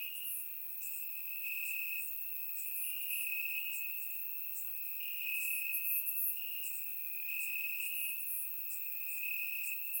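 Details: Several crickets in Bulgarian grass on a warm summer night, recorded in surround sound, keep up a dense high trill with bright overlapping chirp bursts scattered irregularly above it.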